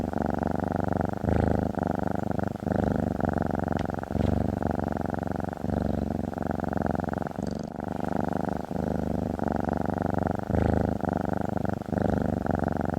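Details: Lying on a desktop indoors, a female cat keeps up a loud, steady, low buzzing purr throughout, the rough rumble briefly breaking and changing tone with each breath about every one and a half seconds.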